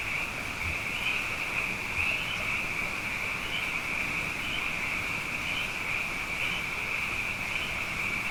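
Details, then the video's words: Frogs plentiful after two wet years calling at night, quieter here: a steady high trill with brighter pulsed notes bursting out roughly every half second over a soft hiss. "Frog Songs: Na Mele o nā Paloka"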